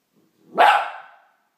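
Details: One-year-old wire fox terrier barking while playing with a two-year-old tuxedo cat, a single sharp, loud bark rising quickly and fading over about half a second, with no other sounds around it.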